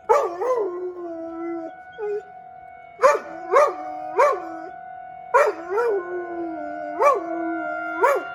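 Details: During the weekly tornado drill in Rochester, Minnesota, a dog out in the yard howls throughout. A long low howl gives way to a run of short, clipped, rising-and-falling yelping howls, with the steady siren tone behind them.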